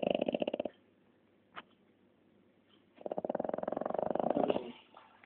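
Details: French Bulldog snoring, the tail of one rattling snore followed after a quiet pause and a brief click by a longer fluttering snore that builds then fades.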